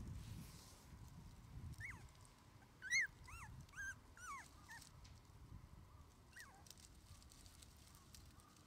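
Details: Red male Shiba Inu puppy, 21 days old, an only pup whose sole playmate is its mother, starting its first outdoor play sessions: a run of high, thin squeaky whimpers, some rising then falling, bunched mid-clip with one later squeak.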